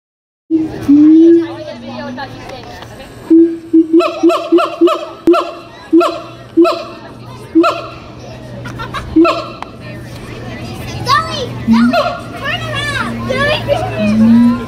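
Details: Siamangs at a zoo, "caroling" on 21 December 2017, sing loud, repeated barking hoots that build into rising, wavering whoops.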